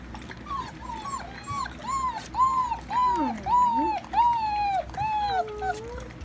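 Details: Alaskan Malamute puppies, giant type, whining steadily: arched, high whimpers repeated rapidly, nearly one per second, with a lower, sliding whine from a second pup overlapping midway and near the end.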